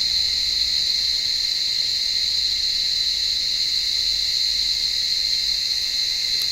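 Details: On a warm evening, cicadas in an olive tree keep up a continuous shrill buzz, even and unbroken for several seconds, the insects that blind cats are trying to catch among the branches.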